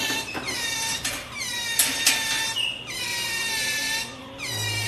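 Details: Pampered pet otter clinging to its owner, giving a run of high, drawn-out whining squeals, each a bright harmonic-rich cry lasting around a second, repeated almost without pause; a faint steady hum sits underneath.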